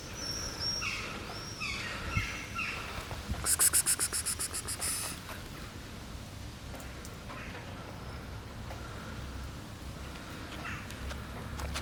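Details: Black house cat coughs in a rhythmic run of about ten short, harsh hacking bursts over roughly a second and a half mid-clip, preceded by chirping birdsong and low ambient rumble.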